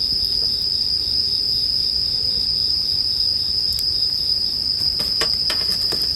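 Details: Bell crickets ringing in a soothing bonfire soundscape: a continuous high, metallic trill carries on steadily, joined by a quick run of snapping fire crackles toward the end.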